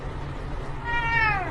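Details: Domestic cat giving a single short meow that rises slightly then slides downward, heard over a steady low hum after a moment of near quiet.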